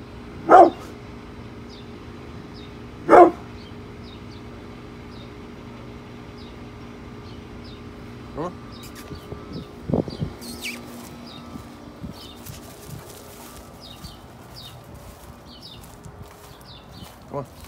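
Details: Brindle Pit Bull named Bullet barks twice at construction workers outside while protecting the house, then falls quiet amid scattered knocks, clatter and a person's voice calling him indoors.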